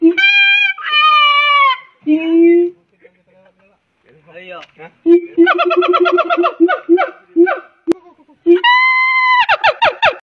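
Loud siamang calls: long, ringing whoops alternate with fast series of short, bouncy barks. Some notes swoop upward, and the phrases come in uneven bursts separated by brief quiet gaps.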